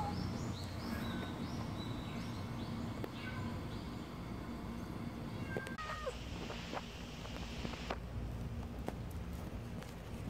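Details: Kkamangi, a black stray cat looking healthy in summer heat, gives short high meows and chirps, with a clearer meow near the middle, over a loud steady low rumble.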